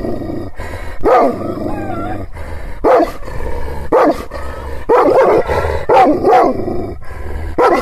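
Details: Aggressive Kangal shepherd dog, Aksaray Malaklı type, in rural Anatolia, Turkey, barking at strangers it has not seen before to protect its owner's property; heavy, rough barks, about eight, spaced irregularly over steady background noise.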